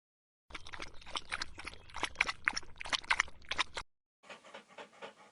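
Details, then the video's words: Dog or puppy panting in quick, irregular bursts of breathy noise, with a short gap before a softer, noisier stretch of breathing. "Dogs, puppies sounds, eating, playing, eating, snoring"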